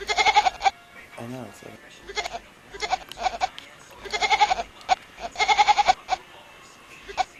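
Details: Goat-like kitten meows repeated several times: trembling, pulsed bleats in bursts of half a second to a second, separated by short pauses, with a brief human laugh or voice early on and quieter sounds between cries.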